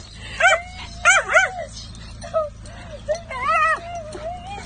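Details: A male dachshund darts out the door, barking in glee and licking his owner's face as she picks him up after her vacation. Quick clusters of high yips and sharp barks alternate with bent, wavering whines, and a person talks close by.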